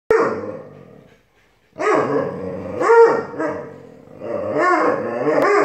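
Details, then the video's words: An Alaskan Malamute puppy and a Siberian Husky argue in a long vocal exchange; a harsh growling grumble gives way to a pause, then rising and falling woo-woo yowls, arched and overlapping, in bursts. "Siberian Husky and Alaskan Malamute arguing!"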